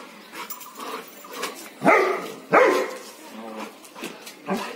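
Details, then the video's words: Dog barking twice in quick succession, two loud, harsh, broadband barks about 0.7 seconds apart, with softer whimpering and snuffling sounds around them in a small indoor space. "#DOG #BARKING"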